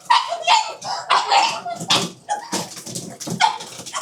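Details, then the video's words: Pugs at dinnertime making rapid, noisy snorting and snuffling bursts, about a dozen short breathy grunts in four seconds with faint higher squeaks between them. "pugs dinner 巴哥晚餐"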